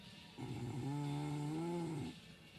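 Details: ['One long, low snore from a sleeping dog, a steady drone that rises slightly in pitch near its end before trailing off.']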